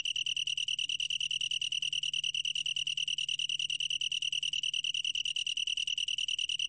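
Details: Continuous ringing trill of a long-tailed tree cricket, recorded in 2020 for Korea's National Institute of Biological Resources, with fast regular pulses on one bright high tone and no pause throughout.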